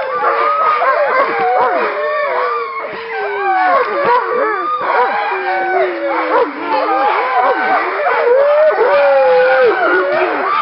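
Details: Pack of Alaskan Malamutes from a working kennel before a short run in February 2012, many dogs howling and yodelling at once: overlapping wavering, rising and falling wails with yips, loud and continuous.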